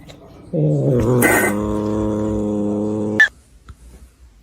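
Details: Pet cat giving a sustained, steady, low, harmonic growling yowl for nearly three seconds. It ends in a sharp bump, followed by quiet rustling.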